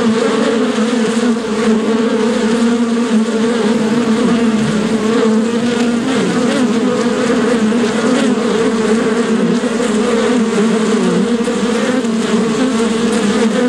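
A steady, droning buzz of bees, with strong low hum bands that waver slightly in pitch.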